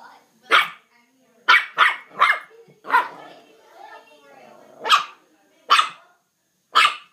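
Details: Mal-Shi puppy indoors, play-fighting a fireplace broom: a run of short, sharp, high yappy barks, three in quick succession near the start, then single yaps spaced about a second apart, with faint rustling between.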